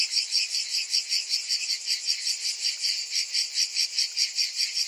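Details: A summer cicada chorus: a bright, sizzling buzz beating in rapid, even pulses, several per second, steady throughout.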